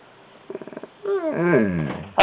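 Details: Skooter the mouthy pet dog answers back with a short burst of pulsed grumbles, then a long, rising and falling howl-like whine, as a woman scolds it not to talk back.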